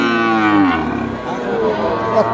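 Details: At a cattle market in Gopalganj, a large cow gives one long, slowly falling moo with rich harmonics, followed by a softer second call amid background chatter.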